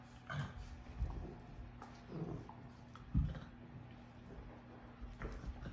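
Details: Basset Hound and Boston Terrier playing together indoors give low, throaty grunts and growls in short, irregular bursts over a steady hum.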